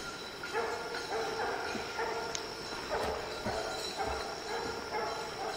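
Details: Distant hunting dogs baying at treed quarry on an evening hunt, with young Lillie and Dynomite and 14-year-old Sadie: rapid repeated chop barks roughly twice a second, muffled and blended with rustling and a steady hum.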